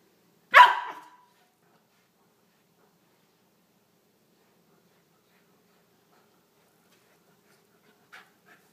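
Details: Corgi puppy named Emrick playing with a small ferret named Shanny at night, the pair having played for almost an hour: one sharp, loud bark near the start, then near silence with a faint short sound at the end.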